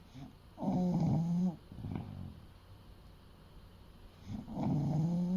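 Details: Eight-year-old male English Bulldog of about 30 kg, fast asleep indoors, giving two long, rough, rattling snores with a steady low tone, separated by a softer snuffling breath and a quiet pause.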